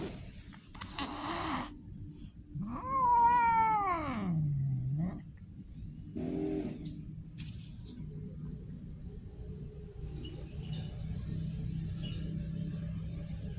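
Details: Street cat giving a long drawn-out meow that rises then slides steeply down over about two seconds, with a few short rustling noises before and after and a low steady hum underneath.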